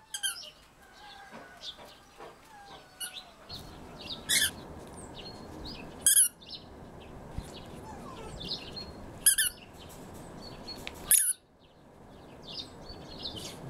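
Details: Alf, a male red fox rescued from a fur farm and kept as a pet, with a stuffed squirrel toy he treats as prey. Short harsh screams burst out every few seconds, with high chirping sounds scattered between them.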